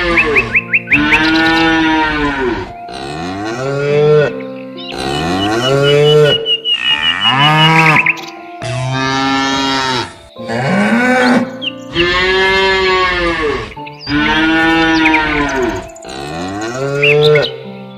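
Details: Cows out in a pasture low repeatedly in long harmonic moos, each swelling then falling away, several separated by short gaps, with quieter bird chirps and faint musical tones in the background.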